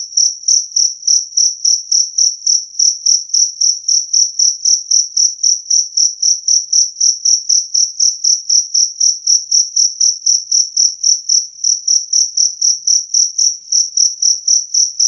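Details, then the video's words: Two-spotted cricket with a sustained, loud, clear chirp, shrill high pulses repeating steadily about four times per second with nothing else audible. "Suara Jangkrik Kalung Jernih"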